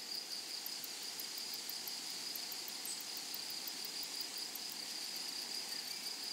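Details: Continuous shrill stridulation of grasshoppers in a flowering prairie meadow, one sustained high tone and a regular pulsing tick far above, even in loudness from start to finish.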